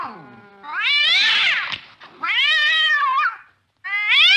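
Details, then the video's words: A cat chasing a mouse in the late night gives strained, high-pitched yowls. Two arching wails of about a second each are followed by a third rising cry after a short gap. "tiếng mèo đuổi chuột trong đêm khuya"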